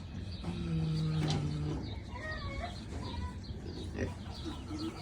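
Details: Sleeping Kunekune pig giving a single low, humming snore of just over a second early on, followed by softer rustling and fainter sounds.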